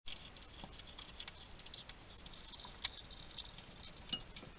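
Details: Wild male hedgehog at a garden feeding station in Somerset, UK, chatting to himself while he eats, caught on a trail cam: soft irregular clicks and ticks of chewing, with a few sharper snaps, over a steady hiss.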